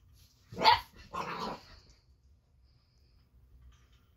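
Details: Boxer puppy aged eight weeks, named Baron, barks at an Ollie robot toy: two gruff barks in quick succession, the first sharper and louder, followed by near silence.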